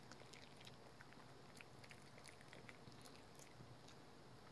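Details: Household dog named Rookie working on a dental chew, with dense, faint crunching and clicking bites repeating rapidly against a low background hum.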